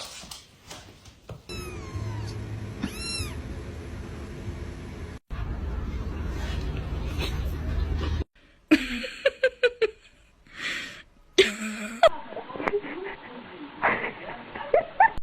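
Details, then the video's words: Kittens fighting: short squealing meows with rising, ringing harmonic cries, then drawn-out yowls and sharp broken bursts amid scuffling noise, with abrupt cuts between sections. "Kittens fighting"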